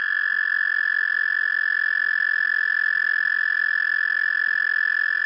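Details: An American toad gives its spawning trill, often mistaken for a bird in the eastern US: a long, steady, high musical trill, unbroken from start to finish and fast-pulsed like a sustained whistle. No other sounds are heard.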